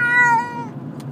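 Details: Kati, a frightened female pet cat unhappy about being moved between places, lets out a single drawn-out harmonic meow that slowly falls and fades, over a low background hum.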